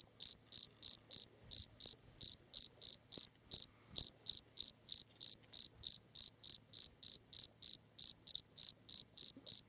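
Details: A field cricket (Gryllus campestris) sings a loud, steady series of shrill chirps, three or four each second, at La Brenne, France, on 20 May 2011 around 22:14.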